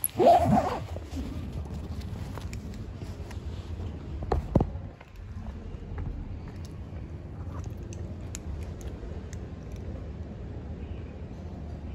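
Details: Rustling and zipper-like handling noise with a few soft footsteps over a low background hum, and no animal voice.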